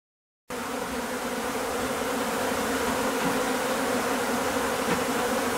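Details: Japanese honey bee swarm during its second swarming of the season from an overwintered colony at a home, being taken into a hive; dense continuous droning hum with steady bands, starting abruptly after a half-second silence.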